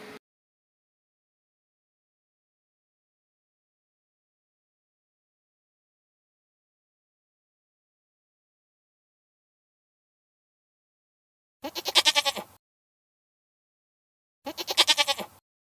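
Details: A goat passing by during a meal gives two short, harmonic, wavering bleats near the end, about three seconds apart and each under a second long, after a long stretch of silence.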